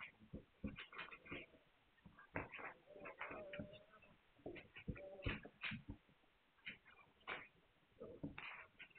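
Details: Hungarian Vizsla puppies, 9 March 2021. Several pups squeal and whimper almost nonstop. Clipped yelps alternate with a few longer, wavering whines, loud bursts spaced every second or so.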